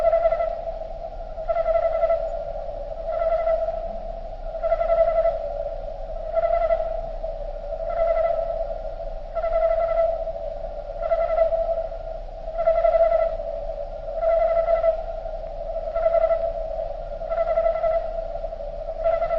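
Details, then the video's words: Nature recording of crickets, slowed down: a smooth steady drone overlaid by a long, regular series of swelling pulses, about thirteen of them, each roughly 1.5 seconds apart, with soft overtones. "Nature Sound Of Crickets Slowed Down"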